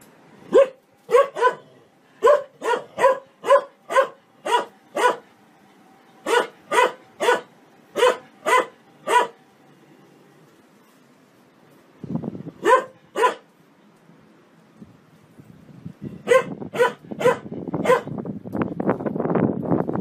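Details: Happy dog barking for fun: sharp broadband barks in quick runs of two to four, a pause near the middle, then more barks ending in rough, noisy rustling and handling sounds.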